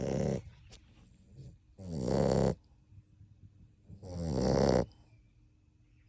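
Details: Sleeping 7½-week-old puppy from Kaia's litter, napping with littermates, snores loudly: two long rasping broadband snores about two seconds apart, each swelling then stopping sharply, with quiet breathing between.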